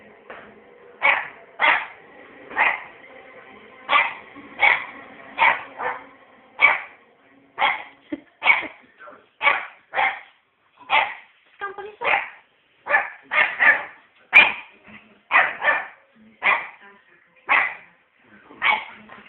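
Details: Puppy named Scampi Fry barking on bonfire night, kept up all night: about two dozen sharp, loud barks, roughly one per second, with short gaps between them and a quiet background.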